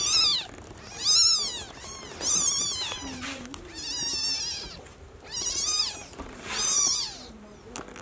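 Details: Como, a mother cat moving her newborn kitten to a nest; six drawn-out, wavering meows over eight seconds, each bending up and down in pitch, with a soft low murmur heard in one pause.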